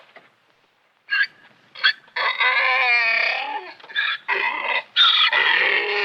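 A donkey brays in loud, harmonic bursts with a long, wavering drawn-out note in the middle.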